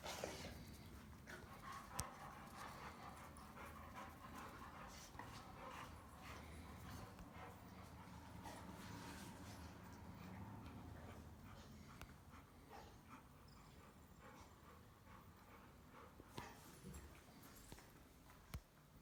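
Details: Three German Rottweilers grumble, growl and pant heavily in a steady low rumble while play-fighting and wrestling; one resting dog is pestered by the other two and tells them off.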